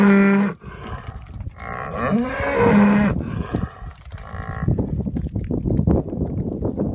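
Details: Holstein Friesian cows from a grazing, spring-calving dairy herd; three loud, low, drawn-out moos in quick succession, the middle one longest and rising, followed by rustling and shuffling noise.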